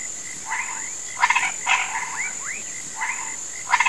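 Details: At sunset in a rural marsh, frogs and toads croak at dusk, said to be calling rain: a chorus of short rattling bursts and quick upward-sliding notes over a steady insect hum.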